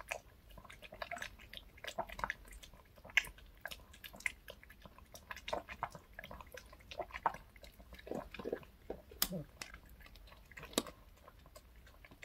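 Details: Reka, a pet dog, eats a choco cupcake with milk in a small room. Reka favours the milk. Steady run of quick wet clicks, licks and smacking bites with brief louder snaps throughout.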